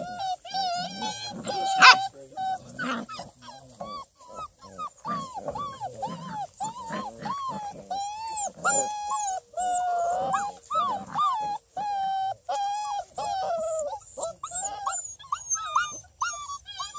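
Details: Busy six-week-old female Redbone Coonhound puppies, littermates at a breeder near Kingston, Ontario, Canada, whimper and whine in overlapping, wavering high cries.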